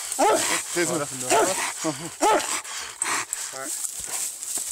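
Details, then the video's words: Treeing Walker Coonhound in a fight with a raccoon: short bursts of rising-and-falling, whining howls in the first half, then quieter with scattered voices and rustling. "Treeing walker fights coon"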